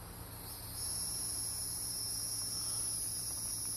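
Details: A continuous, piercing buzz from Hieroglyphic cicadas (Neocicada hieroglyphica) in Brendan T Byrne park, New Jersey, swelling louder after the first second and then holding steady above a low background hum.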